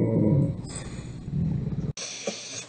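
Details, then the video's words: A talkative dog makes a low, rumbling, grumbling vocalisation with a groaning, voice-like quality for almost two seconds. It is followed by an abrupt cut to a quieter stretch with faint higher noise. "Talkative dogs"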